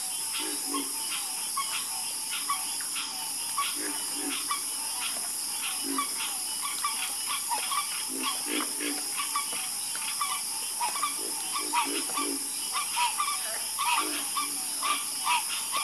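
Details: Many frogs croaking together after dark, recorded for relaxation: quick pulsed croaks and clicks tumbling over one another, occasional deeper grunting notes, and a continuous high buzzing hiss in the background.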